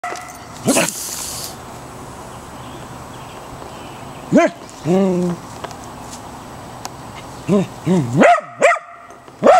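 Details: A Corgi indoors or nearby, disturbed by a young gopher snake, gives a few sharp arched barks spaced irregularly, plus a lower drawn-out growly vocalization and an early noisy burst.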